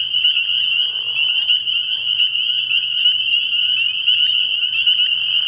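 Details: Spring peepers in a dense night chorus at a frog pond early in the year: a steady, shrill, high band of overlapping peeps with no gaps, with brief lower, rougher bursts of sound near one and two seconds.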